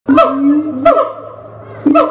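A siamang gives loud, rich hooting calls that swoop upward and hold steady, repeated roughly every second.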